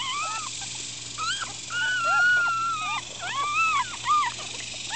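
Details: Upset Miniature Schnauzer newborns, four days old, squirming and whining together; overlapping thin whimpers, one long steady high whine, then quick rising and falling yelps from several puppies.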